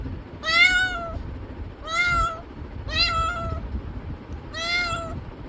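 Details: A cat gives four evenly spaced meows roughly one second apart, each a rich harmonic cry that rises slightly then falls, with faint low rumble between calls.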